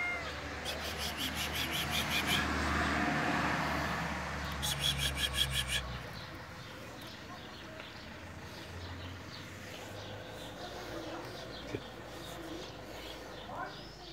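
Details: An affectionate tabby cat (Felis catus) met on the road gives a few drawn-out meows over steady traffic noise.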